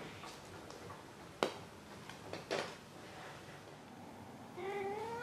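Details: Domestic cat Maru indoors: a few clicks and taps, then one short, rising meow at the very end.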